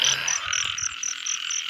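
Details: Rain-season frogs heard while catching frogs: a dense chorus of buzzing calls with crisp high pulses repeating roughly every quarter second, and little other noise.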